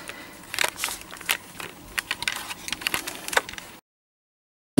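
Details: Crackling, tapping handling noises followed by a gap of silence, no animal call heard.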